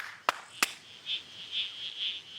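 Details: Two sharp claps set off red-crowned toadlets (perhaps 50 around), which answer with short, high, squelchy calls; noise makes them louder, and one calling sets the others off.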